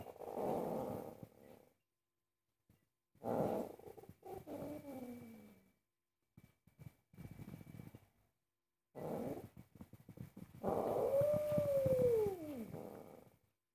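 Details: Angry domestic cat indoors, objecting while its owner cooks: rough, noisy growling bursts separated by silences, ending in a long wavering yowl that rises and then falls.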